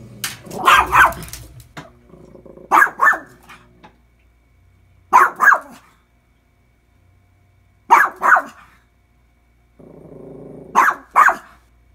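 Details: Domestic dog Lucy confronting the washing machine in a daily routine, giving five bursts of doubled barks roughly every two and a half seconds, with machine whirring and clunks between them.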